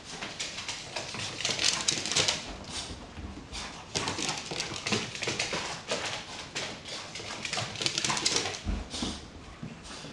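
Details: Boo, a dog, goes mad with his favourite toy after a bath: rapid excited whimpers and snuffles over constant scrabbling, rustling bursts, irregular and busy throughout.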